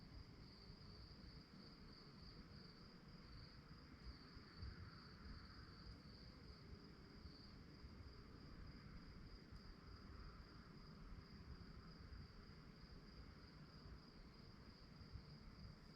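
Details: Crickets chirping at night, a steady high pulsing trill that runs through the whole stretch over a low, rumbling background hum.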